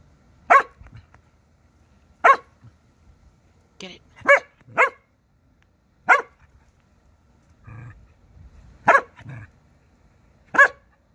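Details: Corgi barking at a praying mantis; single sharp barks repeated roughly every one to two seconds, some in close pairs, with faint low rumbles and soft voices in between.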